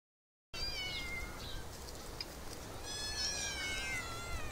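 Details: Several cats living in an olive garden in summer, meowing: drawn-out harmonic meows, first bending downward, then a longer wavering pair near the end, over a steady hiss of summer background sound.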